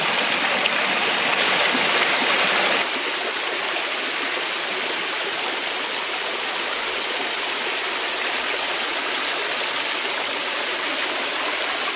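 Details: Steady rushing creek water at a remote desert canyon camp, loud broadband flow with no animal calls heard.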